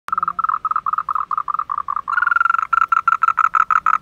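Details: Frogs calling at night in a car park at a place called Man Yuet Yuen, heard but not seen; rapid pulsed croaks repeated about three times a second, the later run louder and brighter.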